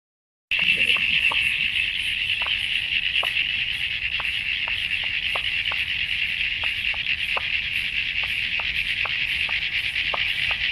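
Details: A dense chorus of Common Eastern Froglets, tiny frogs common along Australia's east coast, gives high, chirpy, cricket-like calls; the scattered sharp clicks come from a different frog species.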